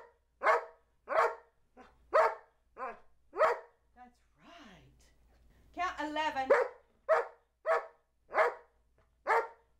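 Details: Charlie B., a talking 2-year-old Old English Sheepdog, barks a count: five rapid barks, a person's encouraging speech, then four more evenly spaced barks to finish the sequence.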